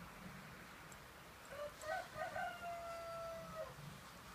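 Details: A six-week-old Shiba Inu puppy, discovering snow, lets out a thin, wavering whine lasting about two seconds that rises, holds, then fades, over soft background hiss.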